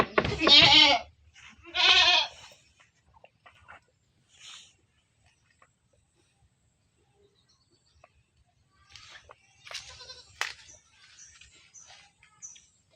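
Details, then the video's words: Goat kept in a pen, two strong tremulous bleats in quick succession near the start, then mostly quiet with scattered knocks, rustling and faint squeaky sounds later. "Kambing Di kandang, kambing lucu, Suara Kambing, Kambing Unik, Bunyi Kambing Lucu"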